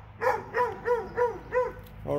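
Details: Five evenly spaced, high-pitched yaps, about one every third of a second, come from two dogs in Alabama. A further bark starts at the close.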